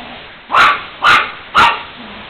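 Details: Princess Netta, a household dog, barks at Tiger the cat as he eats: three loud, evenly spaced barks roughly half a second apart over a quiet indoor background.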